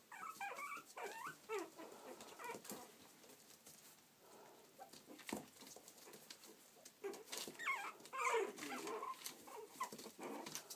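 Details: Playful Yorkshire Terrier puppies in Stockport, Cheshire, UK, giving a busy stream of short high whines and squeaky yips, several overlapping, with a quieter pause midway before a louder burst of squeals near the end.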